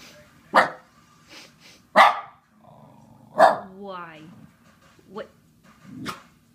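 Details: A Shiba Inu gives loud, abrupt bark-yelps and a drawn-out, wobbling yodel-like yell, reacting whenever his owner sneezes, sniffles or coughs, as a woman speaks between outbursts.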